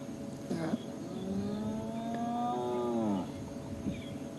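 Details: A spotted hyena gives a low, drawn-out, cow-like moan, a contact call that sounds quiet to people but carries a couple of kilometres to other hyenas; spotted hyena.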